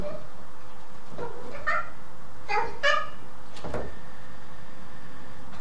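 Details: Male black-and-white Domestic Shorthair cat during a zoomies burst gives about five short, harmonic meows at uneven intervals, some paired close together, over a steady low rumble in the background.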